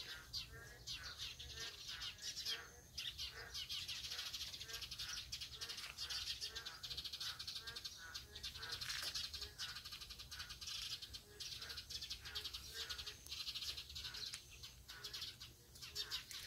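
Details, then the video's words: Boreal digging frogs calling together: short, low, nasal notes repeated quickly by several overlapping animals, set against a dense, steady wall of high-pitched chirping. "맹꽁이 울음소리"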